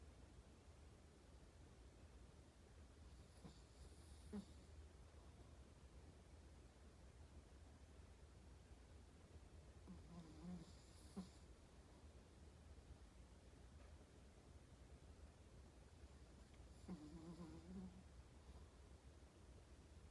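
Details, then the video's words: Sleeping Chihuahua snoring: three soft, raspy snores about every seven seconds, each a low rumbling breath with a faint hiss, over a steady low background hum. "My chihuahua sleeping and snoring"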